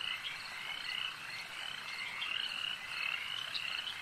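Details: Dense frog chorus at a lake, high rattling trills layered from many animals, swelling slightly and easing in a steady, unbroken flow.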